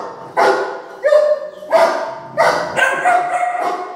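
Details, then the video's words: Loud, clear barks from a three-month-old Doberman puppy answering dog barking played on a speaker; about four tonal, slightly whining barks in quick succession, roughly one and a half per second. "fake dog barking sound play on speaker ( dobarman 3 month puppy agrarian)"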